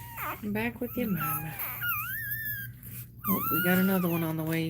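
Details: Cane Corso crying while another dog is in labour: high, tonal whines that rise and fall, drawn out over about a second, alternating with a person talking indoors.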